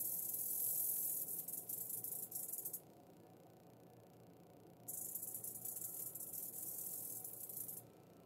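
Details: Rattling of a western diamondback rattlesnake as it kills a mouse, coming in two bursts of dry, hissing buzz separated by a two-second pause, with a short final stop.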